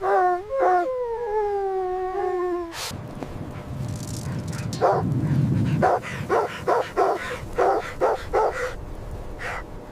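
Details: Puppies play with their mother dog on fresh snowy ground in winter. A long, steady, high whine opens, then a quick run of short, sharp barks and yips comes after a noisy pause.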